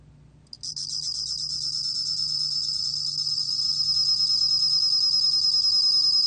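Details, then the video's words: Bell cricket song from a 2020 National Institute of Biological Resources recording: after half a second of quiet, a high, continuous ringing trill begins and holds steady, with a faint lower tone pulsing about three times per second, growing gradually louder. "곰방울벌레, 여러번 듣기, 곤충소리"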